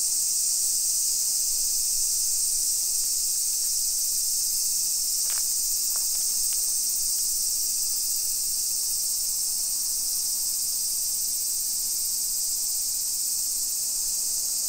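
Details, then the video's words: Summer cicadas in a hillside residential suburb of Nisshin city near Nagoya, Aichi Prefecture, Japan, at 1 PM on 28 July 2021: a steady, dense, high hissing drone without pause, broken by a few brief sharp clicks midway. "Summer Cicadas Sounds"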